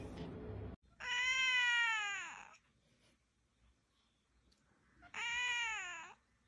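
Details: Baby cat from a funny cat compilation letting out two long, loud, drawn-out meows, rich and nasal, each bending downward as it ends, separated by a few seconds of near silence.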